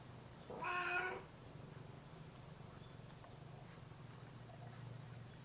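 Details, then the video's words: Domestic cat meowing indoors, asking for a door to be opened and described as curious: one clear harmonic meow of about half a second early on, followed by quiet room hum and no other calls. "このドアを開けてって言ってますOpen the door"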